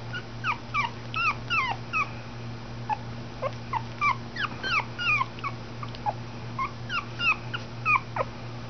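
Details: Schipperke puppies born June 2011 in Oklahoma, whimpering and yipping: many short high rising-falling squeals overlapping, about every half second, over a steady low hum.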